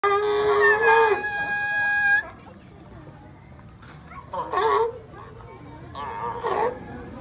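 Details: Sea lions being fed fish give loud, harsh barks, one long drawn-out call followed by two shorter bursts.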